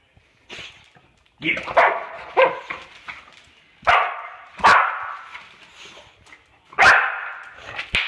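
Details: Boxer dog reacting to bubble wrap, which it hates, letting out harsh, loud barks in irregular bursts, five or six across eight seconds with short quiet gaps between them.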